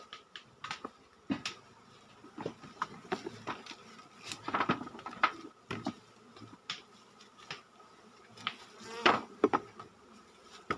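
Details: Bees droning during a honey harvest from a farmed colony in the forest, associated with Sumatran black honey, the soft hum overlaid by frequent knocking and crackling bursts of handling the comb.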